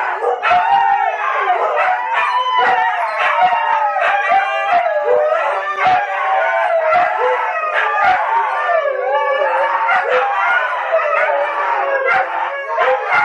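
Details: Huskies kept as pets howl in chorus with Tonka the Malamute from the TV; many overlapping, wavering howls and short yips form a thick, continuous group howl throughout.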